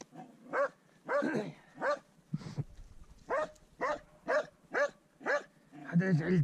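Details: Swix the dog baying his first wild boar: a man's voice mixes with the opening barks, then a string of clear, regular barks about every half second follows, with a low whine at the end.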